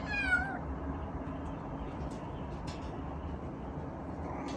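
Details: A male Munchkin kitten left home alone gives one short, clear, harmonic meow that rises and then falls at the start. A quiet room hiss follows. Recorded on an iPhone.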